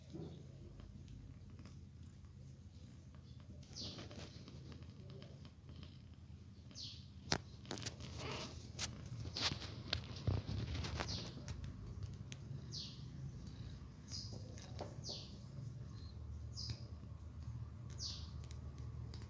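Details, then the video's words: Persian kitten meowing loudly as its mother moves it from a box to the floor; short, high, thin downward-sliding cries repeated irregularly over a steady low hum, with soft knocks and handling noises. "Persian cat moving her kitten from box to floor | kitten meowing loudly"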